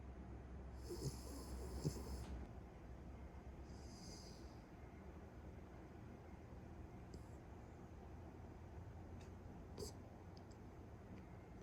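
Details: Pet Beagle fast asleep, snoring. A long, rough, hissy snore over a low rumble, then a shorter breathy one around four seconds, followed by faint low breathing and a few soft clicks.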